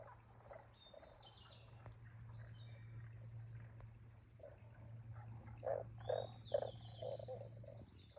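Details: Frog croaks at Aoba no Mori green area, recorded 5 April 2024. Faint rapid pulsing builds into a run of louder, evenly spaced croaks near the end, over a steady low hum, with high whistling birdsong overhead.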